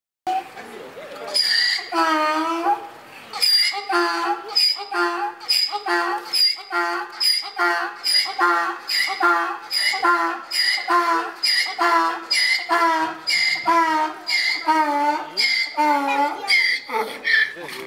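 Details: Donkey at Kharkiv Zoo, said to be bored and missing someone, braying loudly in a long rhythmic series of harsh, harmonic, see-sawing notes, about two per second, continuing almost without pause for the whole stretch, in a reverberant space.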